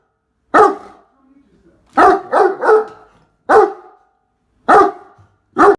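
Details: A Great Dane that hates the vacuum cleaner, going crazy over it, gives loud, deep barks, some singly and some in quick runs of three.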